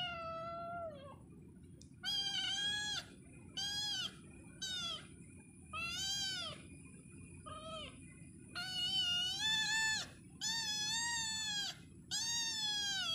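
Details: Domestic cat meowing repeatedly, a series of drawn-out, wavering mewing calls, some rising then falling, about eight calls over thirteen seconds separated by short pauses, with a steady low background hum.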